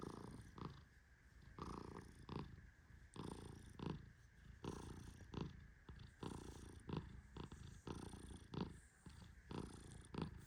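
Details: Tehran, a sleeping Persian cat, keeps up soft rumbling snores while being petted. Short, throaty breath pulses repeat roughly every second or so, mixed with light brushing sounds from the stroking hand.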